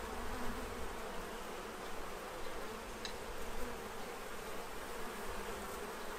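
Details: Bees feeding ahead of winter in Central Illinois, draining a tray within hours; a faint, unbroken low wing hum beneath a wash of outdoor hiss.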